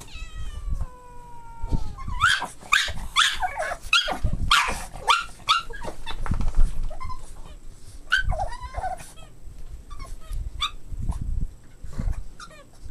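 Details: Boston Terrier puppies playing together: a drawn-out falling whine opens, then a busy run of short squeaky yelps, whimpers and rough growly bursts, with thumps and scuffling between calls.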